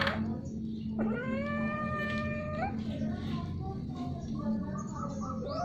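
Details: A domestic cat during repeated, prolonged mating utters a strange sound: one long, steady, harmonic yowl of nearly two seconds that dips at the onset, followed by softer, lower, trailing moans.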